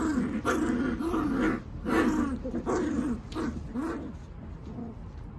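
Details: Welsh Terrier puppies aged 45 days make rough, wavering growls in four or five swelling bursts, fading toward the end.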